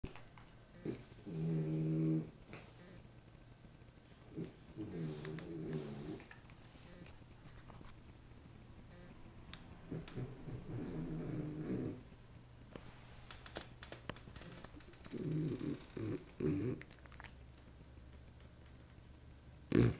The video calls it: Snoring French Bulldog Louis